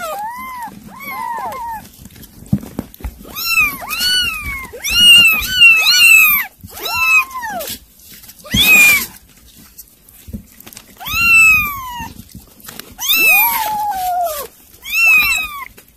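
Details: Kittens eating weaning food meow repeatedly, high arched cries with clear overtones coming in bursts, several overlapping at times, with brief pauses between, over a faint low hum.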